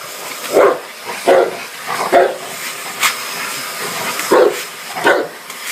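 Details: A Dogue de Bordeaux confronts a vacuum cleaner with heavy, low barks, about six in under six seconds, irregularly spaced, the appliance's broad hiss running beneath.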